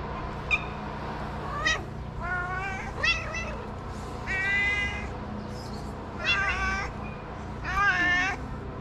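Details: Cat at a small shelter for abandoned kittens in Morocco, meowing again and again: five or six short, bright, harmonic meows spaced irregularly across nine seconds over a steady low hum.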